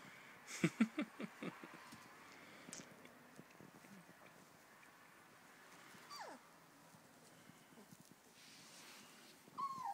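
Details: Four-week-old puppies exploring their newly doubled living space: a quick burst of short yips and taps early on, then a lone high whine that slides downward, and a brief thin whimper near the end over quiet background.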